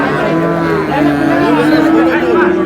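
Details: At Ambari haat market, Dinajpur, Bangladesh, on 17/4/26, improved-breed dairy cows and calves: a sustained, level low moo holding steady for over two seconds while people talk loudly nearby.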